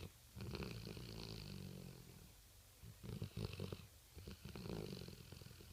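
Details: Snoring from Marley the sleeping Rottweiler, recorded at night: a long, deep, droning inhale with layered low tones, a quiet gap, then choppy snorting pulses and another rumbling breath.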